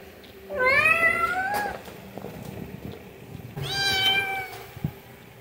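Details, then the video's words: Little pet cat meowing for food indoors: two drawn-out, rising-then-falling meows about three seconds apart, with quiet room noise between them. "Cat meowing (High Quality Meow Meow Sounds)"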